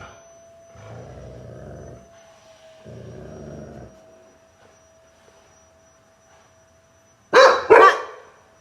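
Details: Adopted dogs reacting to a vacuum cleaner indoors: two stretches of low rumbling growl-like noise, a long quiet hum, then two sharp, loud barks close together near the end.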